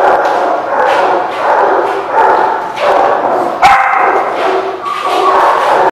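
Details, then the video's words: Dogs at a dog lot; dense, overlapping barking from several animals, harsh bursts roughly every second, with a louder sharp yelp near the middle. "The Barking Lot"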